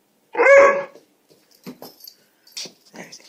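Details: A dog in its yard gives one loud, harsh bark to alert its owner to a neighborhood cat, followed by soft voices.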